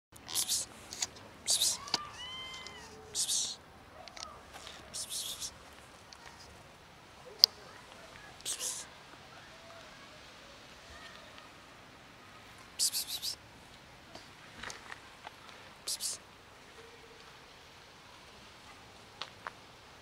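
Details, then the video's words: Fluffy female cat that will not let herself be petted but thanks for food gives a short pair of rising-then-falling meows near the two-second mark, among repeated hissing psst-psst calls from a person and faint clicks and taps. "Fluffy cat just won't let me pet her but thanks me for food"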